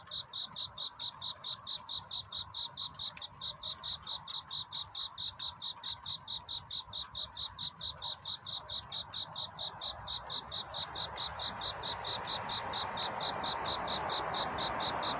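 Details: Courtship song of a cricket at night, sung in search of love. Steady high chirps at about 136 a minute continue while a broad rushing noise swells louder through the second half.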